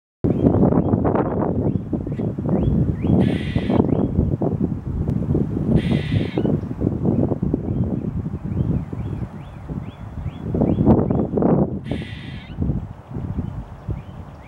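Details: A squirrel gives an alarm call on March 14, 2022: harsh, buzzy bursts and repeated short chips over heavy wind rumble.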